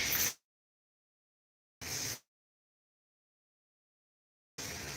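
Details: Three short hissing bursts of noise separated by complete silence, with no animal sound present.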